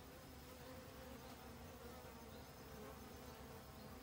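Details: Busy honey bees seeking food for overwintering in autumn; a short stretch of continuous low, buzzing hum from many wings, steady in loudness with no pauses.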